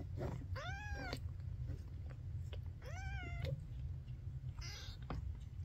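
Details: Maine Coon kitten, last of its litter to open its eyes, gives two clear, rising-then-falling meows about two seconds apart, then a shorter, rougher cry, over constant low background hum.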